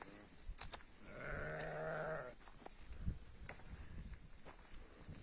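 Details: Sheep from a flock of forty ewes with their lambs at Tiaret, Algeria: a single long, steady, low bleat held for about a second, with rustling and faint outdoor noise around it.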